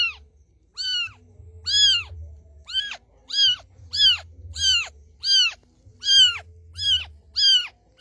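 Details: Mother street cat calls her white kitten to come close, giving about ten clear, bright, down-curving meows in a steady run, with a faint low hum underneath.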